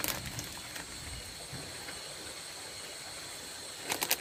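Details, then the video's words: Nocturnal insects calling at night around a rice field hut, a steady unbroken high-pitched shrill drone holding through the whole stretch, with brief handling clatter at the start and close. "THE SOUND OF RICE FIELD INSECTS"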